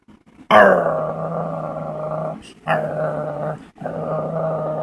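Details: Indoor dog pulling silly faces and producing strange noises: three sustained, tonal, grumbling growl-moans, each over a second long, starting abruptly and separated by brief pauses.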